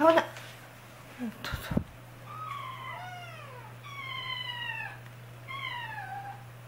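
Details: Indoors, frightened kitten siblings unable to get down from a newly climbed cat tower cry in a run of falling, harmonic meows, overlapping at first, after a woman's brief voice and a clatter.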